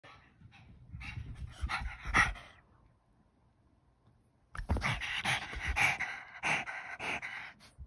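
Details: Pug dropping by to say hello, panting: rapid, breathy, rasping huffs for over two seconds, a brief quiet pause, then heavier, noisier panting resuming for the last three seconds.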